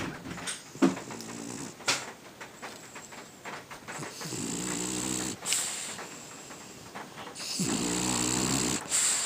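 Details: French Bulldog named Coach snoring while asleep; three rattling, buzzy snores arrive roughly every three to four seconds, each with a breathy hiss, separated by quieter wheezy breaths.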